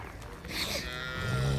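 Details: Girlendo cow at a Pakistani farm where cattle are sold; a drawn-out, tonal moo gradually rises in loudness toward the end, with faint background speech.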